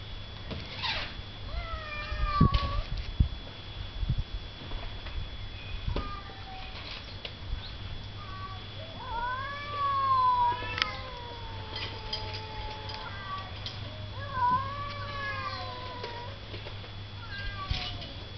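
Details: Two cats calling to each other with long, bending meows, some arching up then sliding down, interrupted by a few soft thumps, over a constant low hum.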